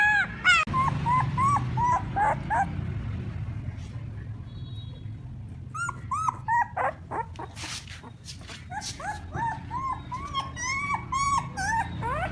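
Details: Puppies calling their mother with many short, high whimpers and yips that rise then fall, often several per second and overlapping. A low rumbling background and brief shuffling noises run underneath.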